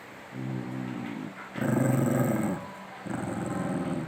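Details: Dogs growling at each other during rough play at home, a steady low growl swelling into a louder, rougher snarling growl, then another pulsing growl burst.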